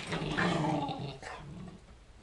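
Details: Two German Shorthaired Pointers, a mother and a smaller younger dog, play-fighting indoors in a living room; a low rumbling growl with a dense harmonic band swells for about a second, then fades into quieter grumbling and scuffling.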